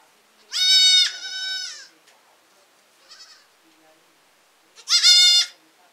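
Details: Baby goats in a village, bleating loudly: a long wavering high-pitched bleat that drops into a softer trailing one, a faint short cry, then another sharp bleat near the end.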